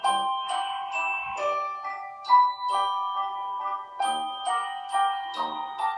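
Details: Bright mallet percussion, like a glockenspiel or xylophone, plays a ringing melody of struck notes with no animal voice heard.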